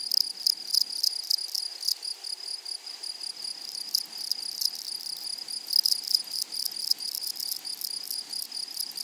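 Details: Grasshoppers in a flowery prairie meadow: a sustained shrill insect tone with scratchy, rapidly ticking pulse bursts, clustered more thickly near the start and again around six seconds.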